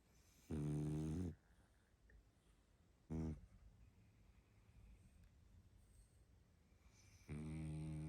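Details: Sleeping pug Barney, worn out, snores three times: a long low rasp, a short clipped one a couple of seconds later, then another long one starting near the end, with quiet room tone between.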